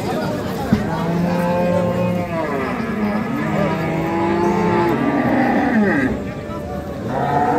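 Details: Dairy cows and calves at Ambari market, Parbatipur, Dinajpur, Bangladesh, 28 April 2025: low steady moos and wavering lowing blend with nearby human voices and market chatter.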